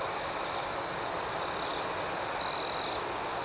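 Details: Crickets chirping at night: an even, high-pitched continuous hum of many insects with a gently pulsing upper layer, then a single louder trill rising out of the chorus for about half a second.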